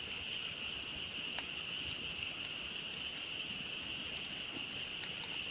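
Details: Campsite frogs calling together after dark, their massed high buzzing trill steady and unvarying, punctuated by a handful of crisp crackles from a nearby campfire.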